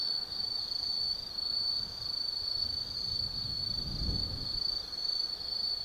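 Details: Night chorus of autumn forest insects at Tsukimi no Mori, Gifu Prefecture, Japan, overlooking the Nobi Plain lights: continuous high-pitched ringing trill, even and unbroken, with a soft low rumble building near the end.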